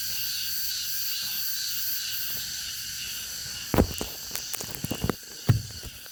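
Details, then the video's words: Cicadas singing in August: a steady, dense high-pitched buzzing drone runs unbroken through the whole recording, with a scatter of sharp knocks and clicks near the end. "the sound of the cicadas in August(8월의 매미소리)"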